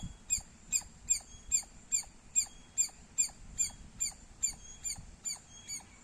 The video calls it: Loud Squirrel Sounds -squirrel chirping Sounds Loud